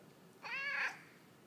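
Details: Peyton, a talkative pet cat that lives with another cat named Bert, meowing at home in reply to a person asking about his plans; one clear harmonic meow lasting about half a second, rising and then falling in pitch, in a quiet small room.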